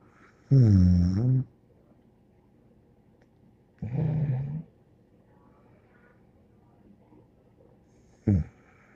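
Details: Dog named Bear snoring indoors, giving two long, low, throaty snores about three seconds apart followed by a brief snort near the end, with soft background breathing.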